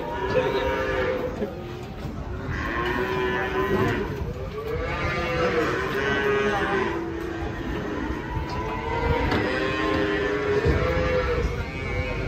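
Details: Raging, agitated cattle bellowing in Indonesia: a run of long, harmonic-rich moos, each rising then falling, several following one another over about twelve seconds, with background chatter and crowd noise.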